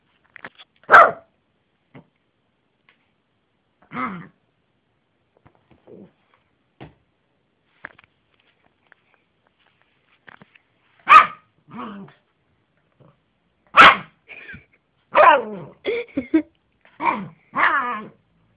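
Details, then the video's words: Jessy, a pet Yorkshire terrier, barking indoors: sharp single barks at scattered intervals, then a quicker run of barks and whining, yelping sounds toward the end, with quiet pauses between. "Jessy (Yorkie terrier) the funny bark dog - vicces ugatós kutya"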